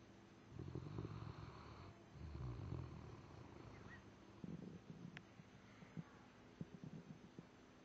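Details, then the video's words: Daisy, a dog worn out after a long weekend, snoring: two low rumbling snore bursts, then quieter breathing with scattered soft clicks and taps. "snoring daisy"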